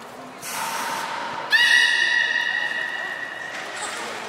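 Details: Captive beluga during a public training session at Port of Nagoya Public Aquarium, Japan, on 4 November 2018 at the 16:00 show: a faint steady tone, then a bright, buzzy, harmonic-rich call held for about two seconds before fading, in a reverberant hall.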